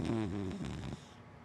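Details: Hana, a big black female wienerdog and black Lab mix, snores while asleep: one long, low, rumbling buzz with a stack of wavering tones that fades after about a second into quieter breathing.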